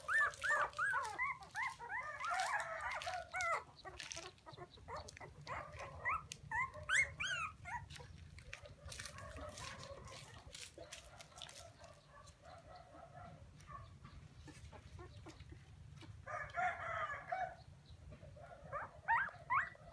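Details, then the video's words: Puppies crying as they call for their mother: high, wavering squeals and whines in uneven bursts, several overlapping, with quieter gaps between, over a steady low hum. "Why Puppies So Crying full Where is mommy?"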